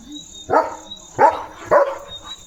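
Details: Leo, a pet German Shepherd that runs fiercely whenever it sees another dog, gives three short, harsh barks spaced about two-thirds of a second apart, over a faint steady high-pitched hum.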